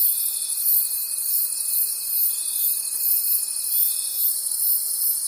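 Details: Crickets calling at night in a forest: a dense, high-pitched shimmering chorus with soft regular pulsing, over a steady faint thin whine lower down and no other clear sounds.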